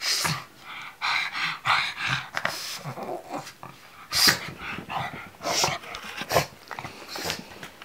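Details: Over about eight seconds, a pug alarmed by a pillow keeps up a run of rapid snorts, puffing breaths and low growly huffs. Sharp loud snorts stand out at intervals.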